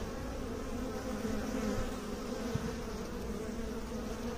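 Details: Bee buzzing as a constant low drone with a clearer hum-like tone that swells in the middle, and one sharp click near the midpoint.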